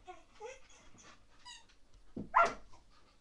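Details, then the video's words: Baby Rottweiler Lea during a mad play session indoors: a few thin whining whimpers with clear tonal bands, then a sharper louder yelp near the end in a small quiet room. "Baby Rottweiler Lea On A Mad 5 minutes Session"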